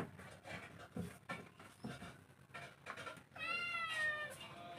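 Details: Cats and kittens fighting and running: scuffling and thumping noises, then a drawn-out wavering meow rising and falling in pitch near the end.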